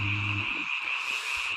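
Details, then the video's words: Many frogs call at night in the mountain countryside during the one season they can be heard, making an unbroken, dense, rasping trill. A low droning hum opens the recording. "잠이 오지않은 밤 개구리 소리와 잠을 청해보세요"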